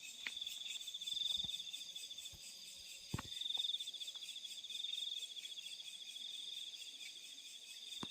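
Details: Night crickets in the fields: a bright, continuous high-pitched trill that pulses in loudness roughly once a second, with scattered sharp clicks.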